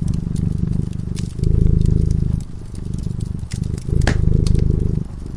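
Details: Deep rhythmic purring of a cat drifting into sleep by a crackling fire, the rumble growing louder then softer in breath-length waves, punctuated by pops from the fireplace.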